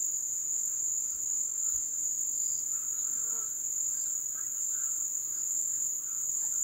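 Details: Ebb-season cricket chorus from the wild, a continuous shrill ringing tone that never pauses, with faint scattered chirps from other insects or birds drifting beneath it.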